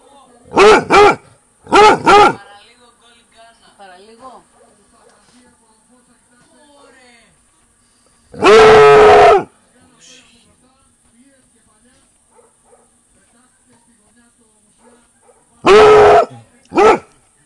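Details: A Basset Hound barks long into the summer night at 22:00, alerted by activity near the bungalow. A pair of sharp barks comes first, then a drawn-out baying bark, then two more barks, separated by long quiet gaps with faint murmuring.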